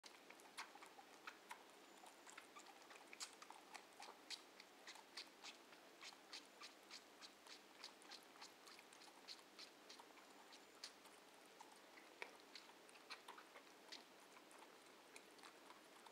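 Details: Two baby red kangaroos suck milk from their bottles, making a steady run of wet clicks and smacks.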